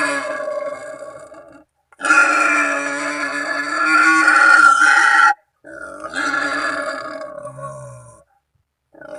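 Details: Authentic wild boar call for attracting companions or rivals during ambush hunting; one extended hoarse squealing grunt lasting over three seconds, followed by a fading raspy burst, with silent gaps around them.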